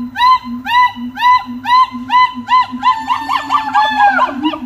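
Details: Monkey song recorded at Little Rock Zoo: evenly spaced, arched harmonic hoots roughly twice a second, growing faster and more tangled toward the end as overlapping rising notes join, with a low repeated hum underneath.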